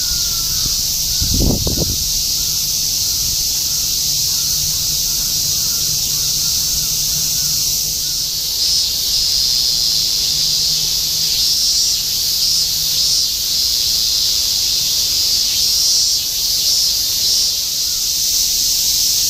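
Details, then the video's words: Cicadas massed in a summer chorus in Shinjuku, Tokyo, 2016, forming an unbroken shrill buzzing wall of sound; a short low thump near the start and a faint distant hum underneath. "Continuous chorus of cicadas in Shinjuku ～ 2016 新宿 蝉しぐれ"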